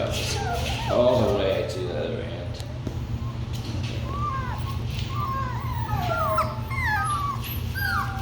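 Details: Several Labradoodle puppies, the Kiwi puppies, near late-afternoon feeding time, whimpering and yipping in short, rising then falling high whines, many overlapping calls in quick succession, with a person talking over them and a steady low hum.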